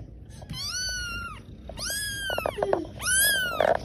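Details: Three high-pitched kitten meows come about one and a half seconds apart, each arching up and then falling, with light clicks and taps in between.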